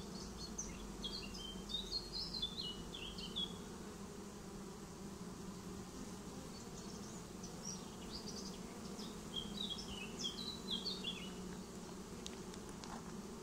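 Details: Swarm of honeybees moving into a new home, its continuous low droning hum running under lively bird twitters and chirped phrases that come in bursts near the start and again around ten seconds.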